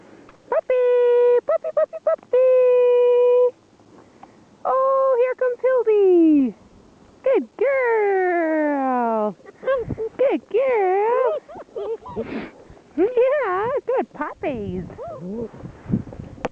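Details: A litter of three German Shepherd puppies at six weeks old answers a handler with long tonal whines and howls, some held steady, others sliding down or wavering, overlapping into a chorus with occasional speech.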